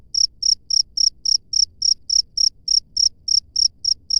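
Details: Outdoor cricket giving loud, high, trilled chirps in quick regular succession, close to four per second, against faint low-frequency ambient noise.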